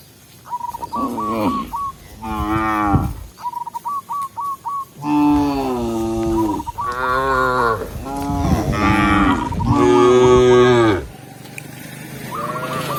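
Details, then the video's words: Tame cows driven back to the pen by a village shepherd; a series of loud, overlapping moos, some long and wavering, with short runs of repeated high chirps at the start and end. "Cow Sound, Funny Cow, Cow Moo"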